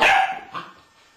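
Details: American Staffordshire Terrier giving a single loud, sharp bark that fades quickly, followed by a softer echo-like tail; no other sounds stand out.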